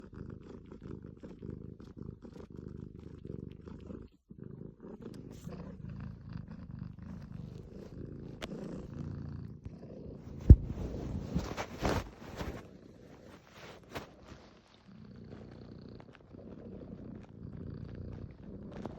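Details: Domestic cat purring: a soft, low rumbling drone in steady breath-length phrases, with brief pauses between inhale and exhale cycles and a few faint rustling or handling noises near the middle.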